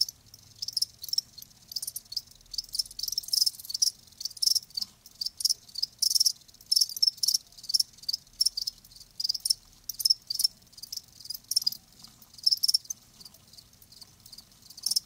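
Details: Live crickets in a steady natural chorus, rapid shrill pulses packed close together, loudness rising and falling in bursts across the whole stretch.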